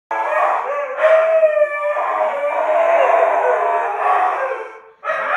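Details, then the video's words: Two huskies howling together nonstop, overlapping long wavering tones with rich harmonics, sustained for about four seconds before breaking off and starting again. "Howling Huskies"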